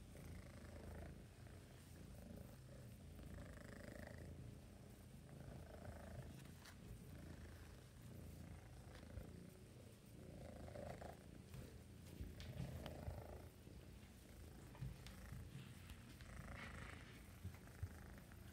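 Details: Two relaxed, friendly kittens, Rory (orange) and Rossi, at an adoption shelter, kneading with their paws and purring: a steady low rumbling purr runs throughout, rising and falling in soft breathing pulses every couple of seconds.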